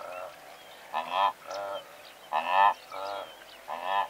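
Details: Blue wildebeest from a herd of several hundred, medium close: short nasal honks in pairs and clusters about every second, with a murmur of more distant animals and faint bird chirps.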